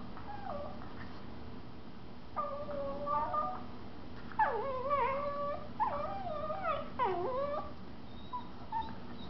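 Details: Two Miniature Schnauzers, a mother and her 4-month-old puppy, playing indoors in a living room; a run of high, wavering whines and whimpers in bursts with bending, sliding pitch, over a low room hum.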